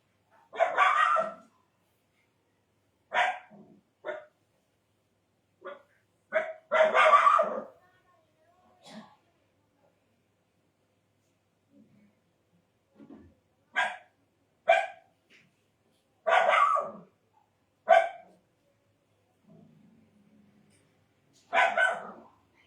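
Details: Indian desi dog barks in irregular bursts over about twenty seconds: loud, harsh single and double barks separated by pauses of a few seconds, with quieter low grunts and a soft voice between them.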